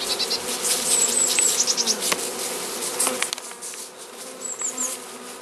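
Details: Carniolan honey bee colony fed with the Mountain Camp method, Southern Finland, 16 March 2017, +3 °C outside, queen present; a soft steady hum under high, thin, falling chirps, with rustles and clicks that quieten after three seconds.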